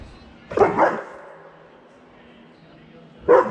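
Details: An 8-month-old German Shepherd sees a cat and wants to play, recorded on an iPhone: two loud, hoarse barks about three seconds apart, with a steady low hum underneath.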